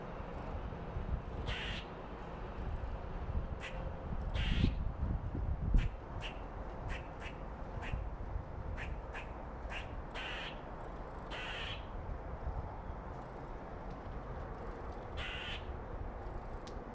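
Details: Territorial red squirrel chattering at other squirrels: short raspy bursts, some in quick runs and some isolated, irregularly spaced, with a brief louder low rumble near the start.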